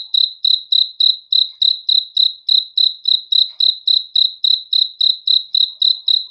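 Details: Night chorus of crickets: shrill, evenly spaced chirps pulse about three to four times each second without a break over a silent background.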